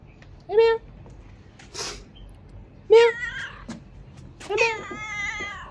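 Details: Domestic cat meowing indoors: several drawn-out, harmonic-rich meows spaced a second or two apart, the later ones longer and gently falling, while a person softly calls the cat with repeated words.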